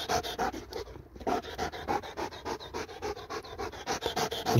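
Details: Dog at play with a laser pointer, heavy rhythmic panting, about three breathy huffs per second, loud and steady throughout with a short pause near the start.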